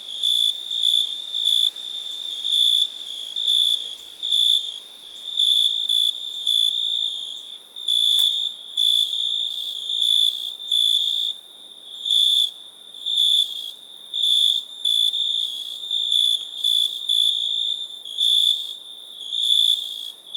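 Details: ['A cricket trills without pause: shrill, high-pitched pulsed bursts follow one another about every second. One sharp click breaks in midway, and a soft hiss lies underneath.']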